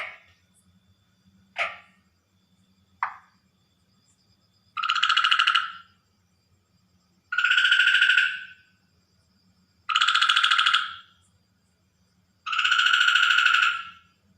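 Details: Water frog calling at night; four long harsh, buzzy rattling calls of about a second each, evenly spaced every two and a half seconds, after a few short clicks.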